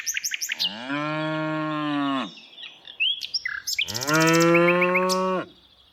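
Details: Afternoon herding of tame cows: a sustained, even moo of about two seconds, a pause filled with chirping birds, then a second long, slightly louder moo that ends abruptly.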